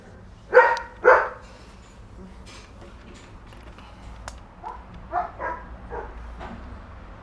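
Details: Solid black and dark sable German Shepherd puppies from a litter born 12 March 2019: two sharp barks open, followed by a run of softer, quicker yips trailing off in a quiet room.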